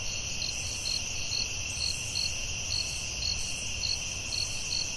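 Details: Crickets calling at night in a forest: steady high bands of insect trilling with a brighter pulsed chirp repeating about twice per second, over a soft low rumble.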